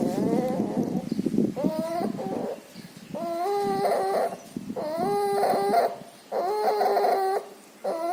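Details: Puppy suffering pneumonia and distemper with nasal discharge; loud wheezing breaths, each a whining harmonic tone with a stepped pitch, repeating roughly every one and a half seconds, some rasping noise early on.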